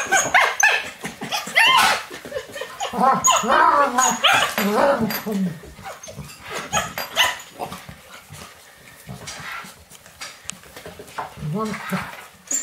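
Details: Alaskan Malamute puppies romping in the house on a rainy day with young male Finn, mother Deneb's litter; sharp yelps and bark-like cries with wavering whines come in busy clusters, then a later low growl among clatter.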